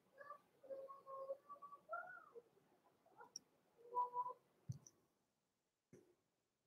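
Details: Blenheim Cavalier King Charles Spaniel puppies Roman and Blue, born November 14, 2022, in an indoor puppy pen before Christmas. They give a run of thin, wavering whines, some rising then falling, with soft clicks and a few thumps.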